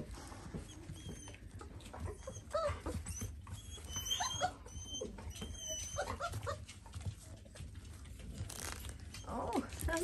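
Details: Four-week-old Dalmatian puppies indoors, giving thin, high squeaky whimpers and short whines scattered through the recording, with a person talking nearby and low handling rumble underneath.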